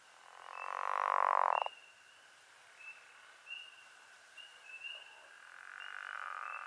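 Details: Pickerel frog (Lithobates palustris) calling: a low, grating snore that lasts about a second, then fades.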